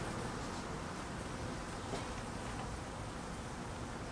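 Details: Honey bees in cold weather, hungry and being fed, make a continuous thick buzzing drone that holds steady without pause for the whole stretch.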